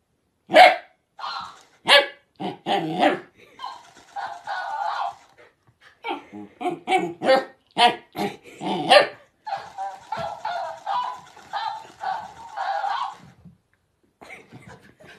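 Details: Puppy in a funny, cute pet compilation gives a long run of quick barks and yaps, some clustered rapidly, a few drawn-out whiny notes between, pausing briefly midway.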